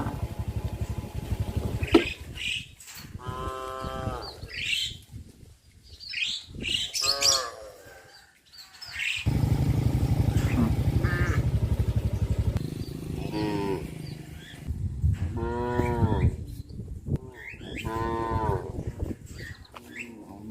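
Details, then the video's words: Cattle herd walking out to graze through a settlement; several drawn-out, harmonic moos come at irregular intervals over a steady low rumble of hooves and movement, with frequent high bird chirps throughout. "Sound of Cows"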